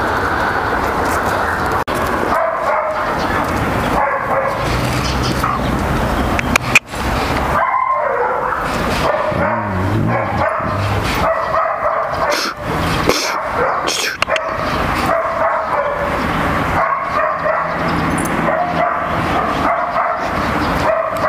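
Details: Flat-backed German Shepherd mother reunited with her daughter Kaka after a year apart, scolding and disciplining the young dog. Rough barks and short yips come in bursts over a steady, noisy background, with a sharp knock near seven seconds.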